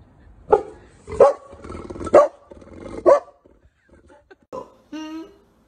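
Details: Labrador Retriever giving four loud, sharp barks about one second apart, followed by quieter short sounds and a drawn-out tonal whine at the end.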